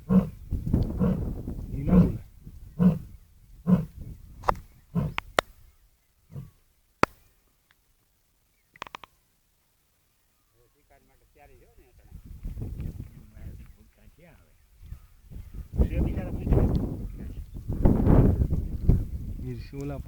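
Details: Lion at Sasan Gir: a series of deep, rough grunting roars spaced under a second apart that fade out, then a silent gap, then louder drawn-out low rumbling roars, with people talking nearby and some music.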